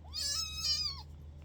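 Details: A kitten gives a short high meow that rises at the start and slides down at the end, about a second long, with a low steady hum behind it.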